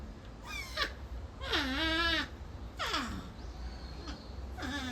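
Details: Leaf, a captive North American porcupine at Higashiyama Zoo in Nagoya, apparently being scolded by another porcupine, Kaede. Three loud, wavering, whiny harmonic cries, each sliding down then up, plus a fainter fourth, over a steady low hum.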